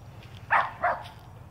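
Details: Shetland Sheepdog named Kitty, dressed in a Superman costume, barking outdoors while chasing squirrels: two sharp, loud barks about a third of a second apart, over a low steady background hum.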